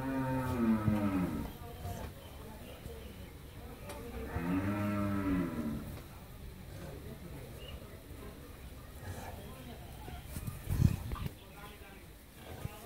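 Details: Friesian cow after her first calving, kept with her bull calf at a dairy farm in Pabna, Bangladesh, gives two long, deep, harmonic moos, one near the start and another about four seconds later, with low farmyard noise between.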